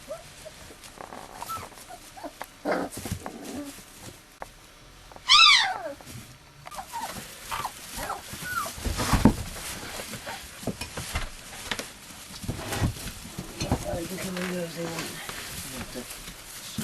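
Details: Three-quarter husky, one-quarter malamute pups, four weeks old, born on 10 March. One brief high, arching whine stands out over steady scrambling and rustling, with a few softer squeaks before and after.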